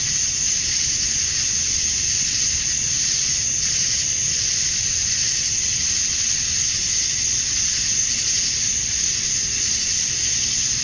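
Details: Male cicadas calling to attract females on a summer evening at dusk in Georgia, USA: unbroken, loud, rasping high drone with a piercing top tone and slight surges in strength, low background rumble.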